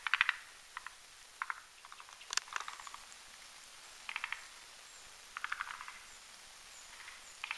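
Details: At night over a marshy mountain pond, forest green tree frogs of both sexes build a foam nest on a hanging branch; sparse clicking, pulsed croak bursts with long pauses, plus one sharp splash-like crack.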